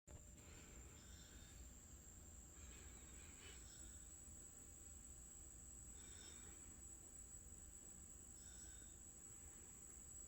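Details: Cricket kept in a critter keeper indoors: a steady thin high whine runs throughout, with short, faint, tonal chirp bursts recurring every two to three seconds over a low background rumble.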